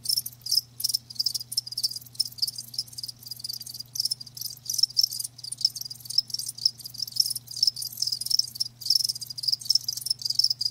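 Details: Several live crickets chirp together in quick, shrill pulsing bursts that run almost without pause, a steady low hum beneath.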